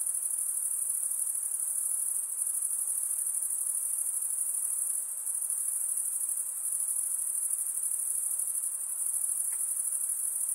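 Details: Night insects calling in the dark: a dense, steady, very high-pitched shrill trill that pulses rapidly and runs unbroken through the whole stretch, with no other sounds.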